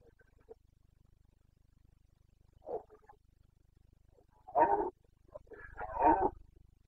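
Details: Carpathian red deer stag in rut in the forests of Bucovina, Romania, late September 2022; after a quiet start, a faint short grunt, then two loud rough roars near the end.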